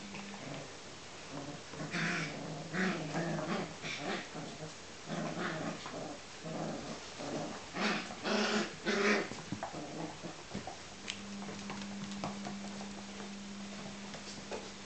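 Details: Four-week-old Smooth Collie puppies playing at a kennel in Norway: a jumble of low rough growls and short yelps in rapid bursts, with a steady low hum in the background after eleven seconds.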